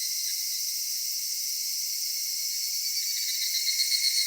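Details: Cicadas singing on a summer evening in a cedar forest: a dense, steady, high-pitched shimmering drone with several layered tones, unbroken throughout and with no other sounds.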